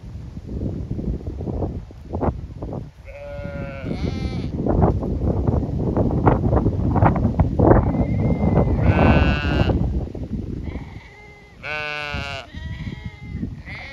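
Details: Flock of Zwartbles sheep on a regenerative Irish farm in County Kilkenny, anticipating fresh pasture during a fly-strike check: loud rustling and trampling with scattered wavering bleats, some high and strained, near the middle and end.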